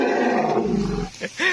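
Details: A wild Asian elephant calling from dense forest gives a loud, harsh, rumbling, echoing trumpet that ends in a brief higher, rising note; heard before an attempt to lasso it.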